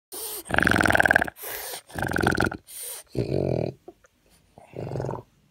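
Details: A French Bulldog that constantly suffers from a breathing condition common in bulldogs breathes noisily, with rasping, snoring snorts on each breath as it struggles for air.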